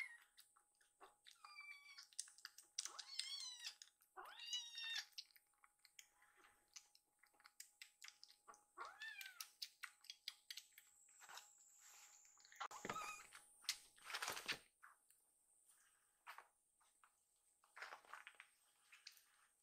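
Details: Two rescued foster kittens around feeding time, asking for more milk after eating: several short, high, rising-then-falling meows in the first five seconds and another near nine seconds, over steady rapid clicking of lapping and chewing.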